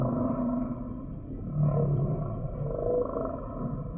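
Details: Humpback whale song sample: faint drawn-out moans and a short rising whistle, blurred by a continuous low underwater hum.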